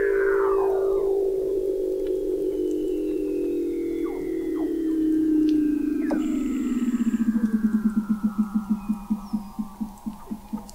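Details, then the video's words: Weddell seal beneath the sea ice of McMurdo Sound, Antarctica, recorded November 2017 by a fixed observatory 21 m down: a loud falling whistle settles into a sustained mid tone, then breaks into a rapid pulsed trill slowing toward the end. "Song of the Antarctic Weddell Seal"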